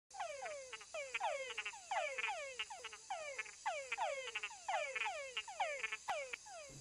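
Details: Male túngara frogs giving mating calls: short whines sweeping downward in pitch, some followed by a clicking chuck or two, repeated in overlapping series from several callers, with a steady high background hiss.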